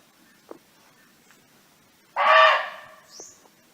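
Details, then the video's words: Barking deer roaming free in nature, calling to companions: one loud, harsh, hoarse bark lasting about half a second after a quiet stretch, followed by a faint short higher squeak and a few soft clicks. "เสียงร้องของเก้ง (Sound of Barking Deer)"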